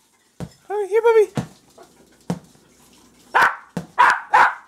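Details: Jack Russell Terrier puppies excited over a ball: a drawn-out whine that rises and falls, then a run of sharp, high yips close together near the end, with soft scuffling between.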